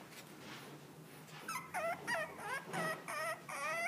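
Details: Miniature Dachshund, black and tan, whimpering: a quiet start, then a run of about six short, wavering, high whines packed closely together, each bending up and down in pitch, with a faint hum beneath.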